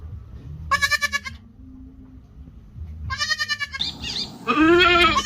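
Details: Goat bleating to call the herd, a tremulous nasal cry, a gap, then two more bleats, the last loud and drawn out, over a low steady hum.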